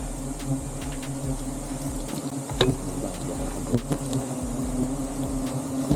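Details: Honey bees buzzing during a honey harvest, a steady low drone with sharp clicks and knocks from the work, Filipino voices talking nearby.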